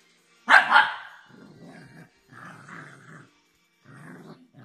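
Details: Shih Tzu; bark and growls; play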